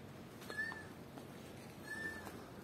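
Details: A recorded kitten's call, played from a phone to test how nearby cats react, gives two thin, high meows about a second and a half apart, calling for help.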